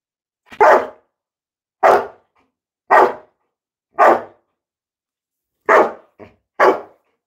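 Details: Labrador Retriever named Coco, indoors in a small room, barking while a person tries to touch its nose and pleads with it in Bengali to stop shouting; seven loud, short, harsh barks at uneven intervals, with brief gaps of silence between them.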